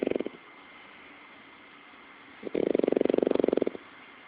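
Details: French Bulldog. A French Bulldog snores with a fast, fluttering rattle, each breath a buzzy burst of rapid pulses. A short snore is followed by a quiet pause, then a longer, louder rumbling one.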